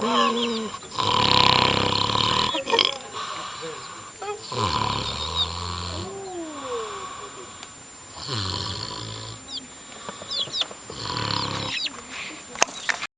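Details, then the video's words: Sleeping wild boar snoring: loud, rasping, broadband snore bursts recur every three to four seconds, separated by quieter breaths, while small birds chirp faintly in the background. "Храп кабана. Snorking pig. Sleaping boar."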